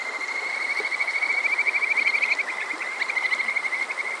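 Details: Kajika frogs (Buerger's frog) calling on a summer night at Water Park Shirayama in Yokoze, Chichibu, Saitama, Japan, recorded on a TASCAM DR-05X: a dense chorus of rapid, overlapping high trills running continuously, with faint stream-like hiss beneath.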